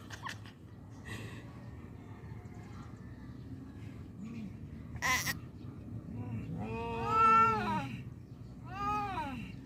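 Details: Domestic cats fighting badly; a long, drawn-out wailing yowl rises and falls around seven seconds, then a shorter wail follows near nine seconds, over a low steady hum and faint background voices.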